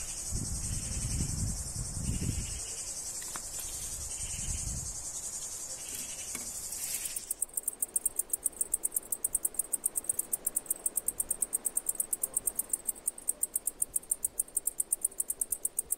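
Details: Injured cicada in Greece with one crooked leg, handled and carried toward shade: after several seconds of rustling and handling thumps, a shrill high buzzing call begins, broken into rapid even pulses, about four per second, steady to the end.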